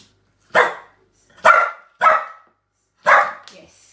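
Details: A trained Lhasa Apso cross dog barks on command, giving four sharp, bright barks spaced unevenly about a second apart.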